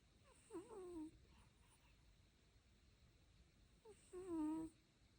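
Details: A sleeping dog snores in two squeaky, whistling breaths about three seconds apart, each starting with a short upward chirp before a wavering tone.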